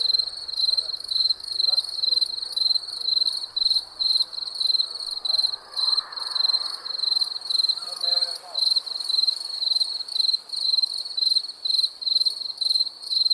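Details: Crickets chirping at night: a steady stream of high, shrill pulsed chirps about twice per second, with a faint murmur of background sound in the middle.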